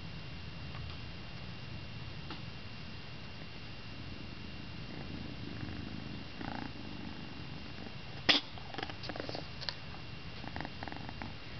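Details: Charlie, a pet cat indoors, purrs in a steady low rumbling drone that runs throughout, with a sharp click and a few small snuffly sounds near the end.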